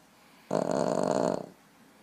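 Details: A male Boston terrier napping on a lap gives a single rough, rattling snore lasting about a second.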